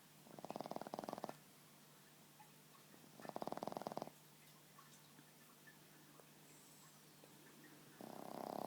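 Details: Sleeping Boston Terrier lying on a lap: two harsh, rasping snores about a second long, a quiet pause, then a third snore starting at the end.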